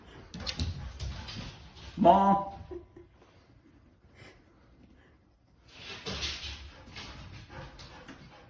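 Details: Monta the Akita, flustered after being told "walk" over and over, lets out one brief rising nasal whine among shuffling noises and faint human voices.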